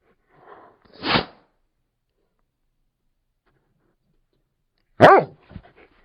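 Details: Labrador Retriever letting out two short, gruff woofs about four seconds apart, the second sharper with a brief huffing tail, in an otherwise silent setting.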